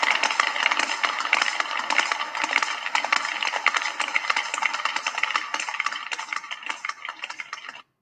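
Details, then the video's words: Sperm whale echolocation clicks used to find prey in the dark, off Nova Scotia; sharp, knocking clicks repeated rapidly and unevenly like tapping on wood, lower in frequency than dolphin clicks. "so here's some sperm whale clicks [Applause]"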